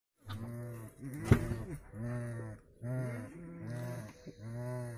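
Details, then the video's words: Caged coypu male, just let in with females, communicating with them: a series of six low, droning, harmonic moans, each lasting under a second with short pauses between, plus faint high hiss in the background. "Нутрии. Самец общается с самками в клетке."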